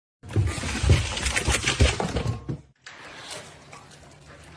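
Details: Loud music mixed with crashing and shattering noises cuts off suddenly, giving way to a quieter noisy background.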